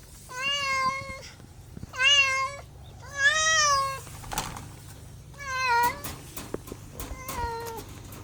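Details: A domestic cat meowing indoors: several drawn-out, tonal meows with steady pitch, the later ones shorter and fading, separated by brief pauses, with a few faint knocks and clicks in the background.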